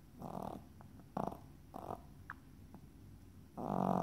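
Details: Yorkshire Terrier snoring loudly, likened to a chainsaw: rough, buzzy breaths in short bursts around half a second long, separated by quiet gaps, with a longer, louder snore starting near the end.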